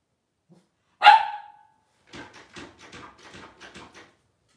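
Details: Twelve-day-old Blenheim Cavalier King Charles Spaniel puppies, a litter of five born to Paris and Spike at New Year's 2023, indoors: one sharp, loud yelp, then a run of about eight soft, quick squeaky pulses.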